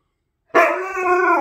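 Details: Siberian husky at home vocalising back at its owner during a playful back-and-forth 'conversation'; a single loud, sustained, slightly falling howl-like whine with rich harmonics, starting abruptly after silence.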